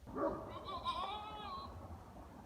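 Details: A male goat in rut at 7:42 p.m., making the noise he also makes at night: a faint, drawn-out, wavering nasal call lasting about one and a half seconds, quiet against the background.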